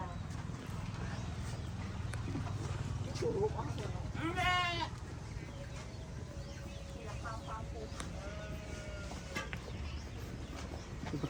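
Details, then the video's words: Sheep among a flock, one wavering, harmonic-rich bleat lasting about half a second near the middle, with a steady low rumble of background noise throughout. "sheep sound"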